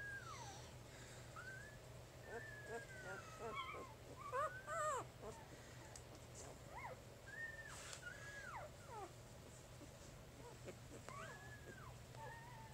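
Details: Three-day-old puppies from Jig's litter, squeaking with a steady run of thin, high whimpers, each a short arched or falling squeal, some bunched closely together, over a low background hum.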